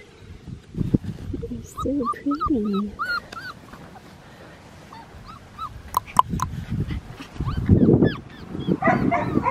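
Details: Four-and-a-half-week-old male blue merle Australian Shepherd puppy, offspring of Matilda and Jackson, at a farm: high wavering whimpers and short arched squeals in bursts, mixed with a person's talking and soft laughter, plus scattered clicks and handling noises.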